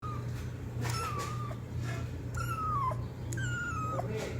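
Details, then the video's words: Kitten calling loudly for its mother: three drawn-out, high whining meows, each gliding slightly downward, spaced about a second apart over a steady low hum and faint background noise indoors. "Kitten meowing sound loudly for Mom"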